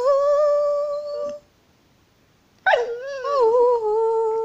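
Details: American Staffordshire Terrier singing along with its owner indoors in a small room: a long steady howl held on one tone, a pause, then a wavering, wobbling howl that slides down and levels off.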